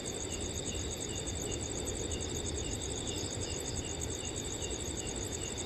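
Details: On a cool summer night in a quiet forest, crickets keep up rapid, evenly beating high-pitched trills in stacked layers while a soft breeze hisses steadily beneath them.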